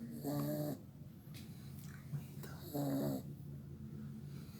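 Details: Pit Bull puppy named Tigrão, a new family member, snoring heavily while asleep indoors: two low, buzzy, drawn-out snores about two and a half seconds apart, each lasting under half a second, with quiet breathing between.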